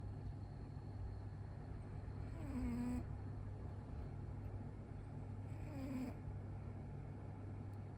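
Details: A cat asleep with its eyes rolled back snores softly. Two drawn-out, buzzy, nasal breaths come about three seconds apart over a steady low mechanical hum.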